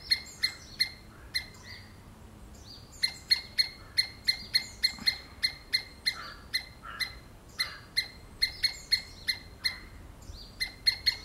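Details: Repeated squirrel screams, short harsh piercing notes given about two or three per second in long runs broken by brief pauses, some calls trailing into a slightly drawn-out squeal, with a quiet background hiss.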